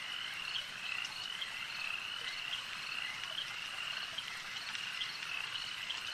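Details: Lake frogs produce a continuous, even chorus of short, bright croaks that overlap in fast repeating trills above a gentle, steady hiss.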